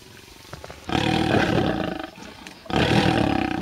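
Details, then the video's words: Lionesses competing aggressively in a tree over a leopard's bushbuck kill near Kruger National Park; two loud raspy snarling roars, each about a second or more, separated by a quieter pause. "Lions fight over a bushbuck kill."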